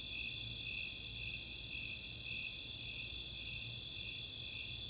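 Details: Snowy Tree Crickets and Four-spotted Tree Crickets calling together on a summer night at Chautauqua, Boulder, Colorado; rhythmic high chirps near two per second layered on a continuous shrill trill, low background rumble.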